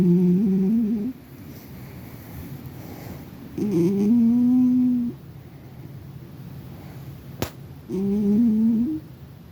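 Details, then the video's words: Sleeping pet cat in dreamland, snoring away indoors: low, steady, humming whistle-like snores lasting about a second each, returning roughly every four seconds, with one sharp click between breaths in a quiet small room. "My cat was in dreamland, just snoring away"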